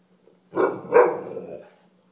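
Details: A house dog producing two linked barks about half a second apart, the second louder and drawn out into a groaning, talk-like tail, described as an indignant bark, in a quiet room.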